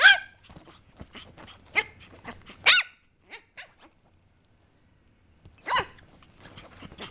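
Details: Papillon puppy barking: a loud sharp bark opens, then a few smaller yaps, a pause of near silence, and another strong bark with quick follow-ups.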